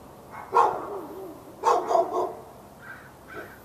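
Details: Dog barking at the dog next door in Raleigh, North Carolina, on February 15, 2012, part of hours of continuous barking: one sharp bark, a quick burst of three, then two fainter, higher barks.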